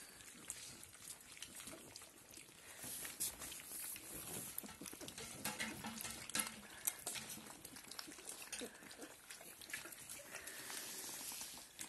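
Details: Dobermann puppies, 26 days old, whine and squeal in short, high, overlapping bursts after smelling food and wanting to eat.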